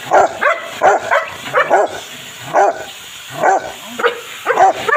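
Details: Bathing session for a Rottweiler or Belgian Malinois: a rapid, uneven run of about ten loud, clipped barks and yelps, several close together, with a faint watery hiss beneath.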